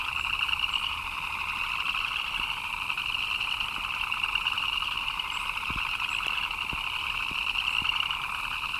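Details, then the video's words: Frogs chirping in the rain: a dense, continuous chorus of fast trilling, buzzy chirps in two bands, one higher and one lower, with scattered raindrop taps and ticks underneath. "Frogs chirping in the Rain"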